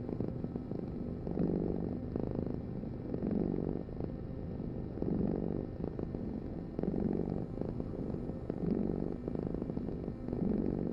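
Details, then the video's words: A domestic cat purrs continuously, its deep pulsing rumble rising and falling about every two seconds as it breathes in and out. "Heal with the ultimate cat purring vibration"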